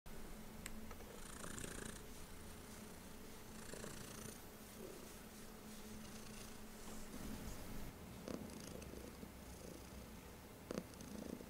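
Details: Heliana, a female pet cat, purring on her favorite place, her owner's lap indoors: a steady low rumbling purr runs throughout, with soft rhythmic pulses and a few faint clicks and rustles.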